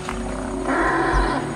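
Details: African forest elephant (Loxodonta cyclotis) in a forest clearing in Dzanga-Ndoki National Park, Central African Republic, gives a deep, steady contact rumble like a big cat purring, meaning "here I am, where are you, I'm going". Mostly females make this call.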